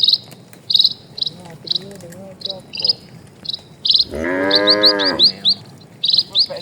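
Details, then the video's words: Cattle, part of a herd of dozens walking slowly across a quiet rural village road; one long, deep, wavering moo near the end, set against steady, evenly spaced high insect chirps and brief bird twitters. "SUARA SAPI"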